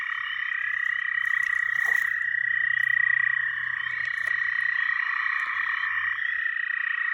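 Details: Frogs calling together in a dense, unbroken chorus, a steady mid-pitched trilling drone that holds almost unchanged for the full seven seconds, with a few faint clicks above it and a low hum underneath.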